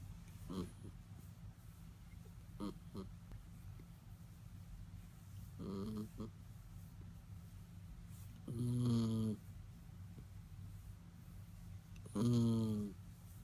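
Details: A sleeping female schnauzer snoring indoors: faint low breaths early on, then two louder buzzy, harmonic rasping snores about four seconds apart near the end over a steady low hum.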